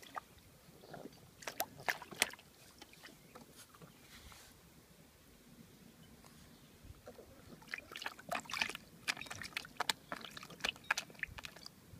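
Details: Quiet outdoor splashing and sloshing of water in a small dish, with sharp intermittent splashes and no animal voice.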